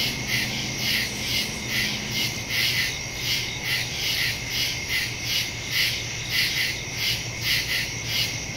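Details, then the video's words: Crickets in woods at night, recorded September 2, 2023 on a Samsung Galaxy S22 Ultra phone with a Shure MV88+ stereo microphone; dense high chorus of pulsing chirps, rhythmic trills throbbing several times a second, with a faint low hum underneath. "Crickets in the woods at night"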